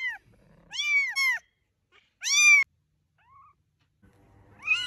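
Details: Kittens giving high, arched mews: a quick double call, then a single louder mew, a faint short squeak, and another mew starting at the end amid soft shuffling.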